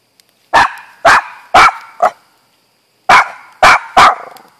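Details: Auggie, a pet dog said to bark too much, gives loud sharp barks: four quick ones, a pause, then three more, each bark broad and punchy with a short ringing tail.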